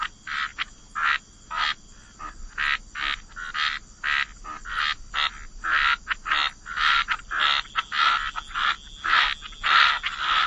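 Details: Croaking frogs at a wetland waterside, giving short rasping croaks in distinct bursts about every half second, several callers overlapping in an irregular rhythm over a quiet background.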